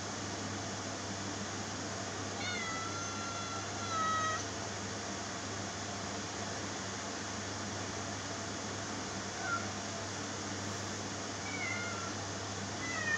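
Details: House cat producing a sustained meow that slides gently downward, followed by two short meows later on, against a steady room hum.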